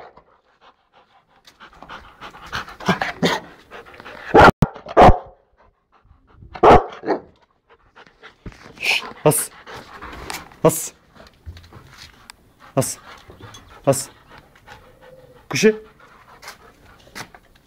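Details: Rottweiler in India barking in loud, spaced single barks between bouts of panting and scuffling, while a man speaks and calls encouragement.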